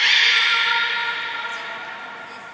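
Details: Beluga in training at Port of Nagoya Public Aquarium, 7 June 2022, group of Gray, Nana and Mirai. A single loud, steady, rich harmonic tone fades away over about two seconds, with a faint high whistle near the start.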